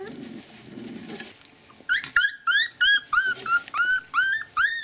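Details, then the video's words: Siberian Husky puppies aged 20 days, children of Gau and Arkan, recorded 8 March, squeal in a rapid run of about ten arched, high whining cries, each dipping at its end, after a short muffled rustling start. "Nos chiots siberian Huskies ont 20 jours"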